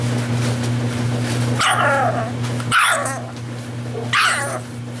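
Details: Six-week-old puppies: three sharp, yappy barks at about 1.7, 2.8 and 4.2 seconds, each short and noisy with a bright upper edge, over a steady low electrical hum, after a person speaks playfully to them.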